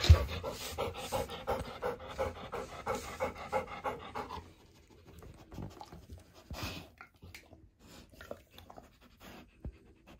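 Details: Golden Retriever Hana, a greedy pet dog, gobbling 700 treats at high speed during a celebratory indoor snack time. Steady, rapid rhythmic panting for about four seconds, then quieter scattered clicks and crunching from eating.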